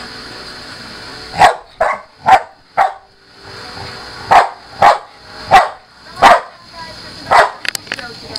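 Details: Pit bull in a play match with a Maine Coon cat. Eight or nine abrupt, punchy barks come in uneven spacing, with short quiet gaps between bursts. A steady high electronic hum runs underneath throughout.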